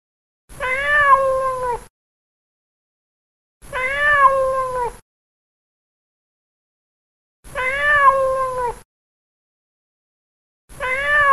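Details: A plump pet cat meows while playing: four long, wavering meows, each slightly falling in pitch, repeated roughly every three and a half seconds, with quiet gaps between.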